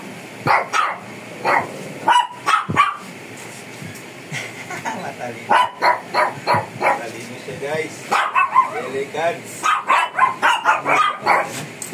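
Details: Shih Tzu described as fierce, being groomed in the Philippines, mixes clipped repeated barks with a groomer's Filipino speech, the barking growing more rapid toward the end.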